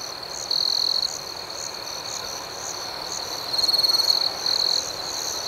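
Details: Night crickets keep up a continuous piercing high-pitched trill, with rapid pulsed chirps layered over it and several louder surges of a nearer insect midway and toward the end.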